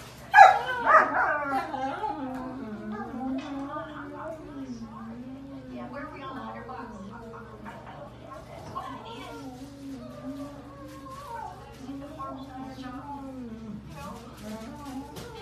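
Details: A dog dreaming in its sleep. A sharp yelp opens, then a long, wavering, mid-pitched whimpering moan rises and falls almost continuously, softening toward the end, over a quiet background.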